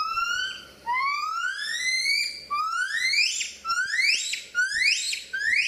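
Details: Gibbons calling: a series of loud, musical whistled notes, each sweeping steeply upward with bright overtones. The notes start long and slow, then grow shorter, higher and quicker, about once a second by the end, with no other sounds.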